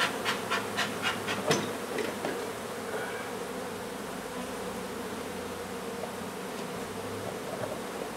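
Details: Honey bees at a hive removal in an old home under renovation in Donna, Texas, where the queen was found; a steady colony hum with rapid tapping and scraping clicks in the first seconds.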